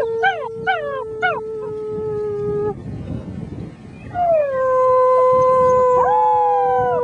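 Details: Six-week-old German Shepherd puppies howling along with a human companion: sustained, steady mid-pitched howls with rich harmonics, opening with a few short rising yelps, a brief quieter gap, then a long swooping howl that settles and holds.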